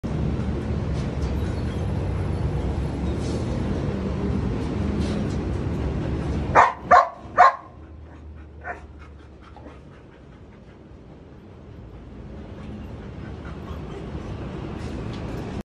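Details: Belgian Malinois at raw feeding time; three sharp, loud barks in quick succession midway, followed by a softer fourth bark, over a steady background hiss that fades and returns.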